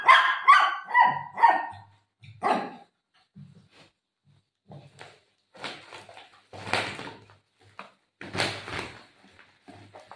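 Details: Golden Retriever playing with its owner and tearing plastic: a quick run of four sharp, ringing barks opens, then scattered rustling and crinkling bursts as the plastic is torn, with quiet gaps between.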